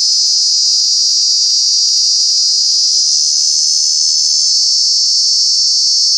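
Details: Cicada, a true bug, in Kanha National Park in summer, producing a very loud, unbroken shrill buzz that stays high and even, with faint low murmurs briefly underneath.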